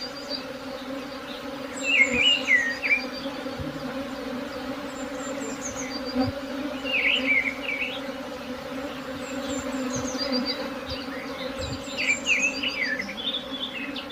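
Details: A swarm of honey bees hums in a continuous even drone, with scattered bird chirps rising over it and a few soft knocks in the background.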